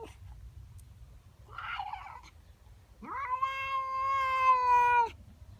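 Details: Female domestic cat yowling one morning over a neighbour cat in her garden: a soft rustle, then a single long, loud, steady wail of about two seconds, rising sharply at the start and cutting off abruptly.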